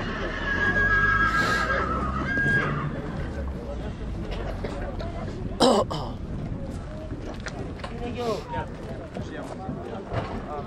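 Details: Horse whinny recorded at Rădăuți in Suceava, Romania: a high, steady, drawn-out neigh lasting about two seconds at the start, followed by human speech, clattering and a sharp bang.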